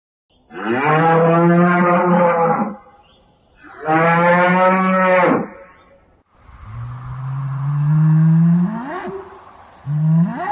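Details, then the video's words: Banteng lowing: two long, rich harmonic moos of about two seconds each, then a deeper, drawn-out moo that climbs in pitch at its end, and the start of another low call. "SUARA HEWAN BANTENG - BEGINILAH SUARANYA YANG AGAK MIRIP SAMA SAPI"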